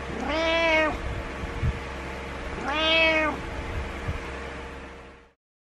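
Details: Two long, clear meows roughly two seconds apart from Butters, a pet cat insisting his owner wake up each morning since he dislikes being alone indoors; low hum beneath, then quiet.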